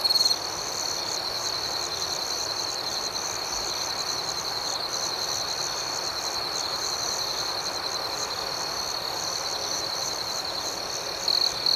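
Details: Constant high ringing from crickets at night, with a soft flickering buzz above it. Brief louder chirping bursts come at the very start and again near the end.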